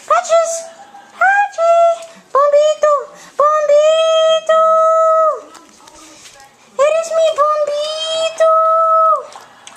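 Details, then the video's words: Dog singing in short bursts at first, then in longer steady howled notes that hold one pitch and drop off at the end, with a quiet pause before a final run of long tones. "Cute Dog Singing!"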